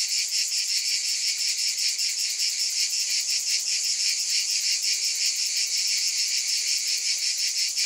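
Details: High, shimmering cicada buzz that holds at a constant loudness, its texture beating in fast regular pulses throughout, with nothing else audible.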